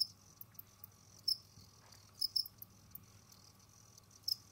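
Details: Captive Jamaican field crickets roam and dig while short piercing chirps come singly and in a quick pair, with light rustling clicks and a soft low hum behind.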